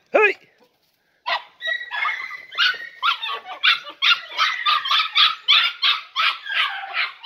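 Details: Podenco Andaluz puppies, three and a half months old, from a litter of four, on their first visit to a riding arena: a brief yelp, a pause, then a fast run of high, excited barks and yelps, several dogs overlapping.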